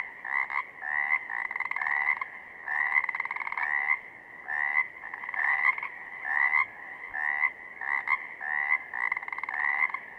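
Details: Pacific chorus frogs in southern Oregon give a busy chorus of raspy, two-part croaks, repeated and overlapping.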